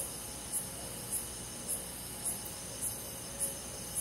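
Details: Night-time insects in a summer forest. A cricket gives regular sharp high chirps about every half second against a continuous hissing chorus of other insects, with a quiet low hum beneath.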